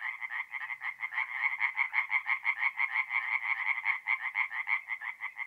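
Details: Tree frogs singing at night at a forest pond in north-east Italy in mid-April; a dense chorus of rapid, rattling croaks repeated about three times a second, overlapping callers forming a steady pulsing din with no other sounds.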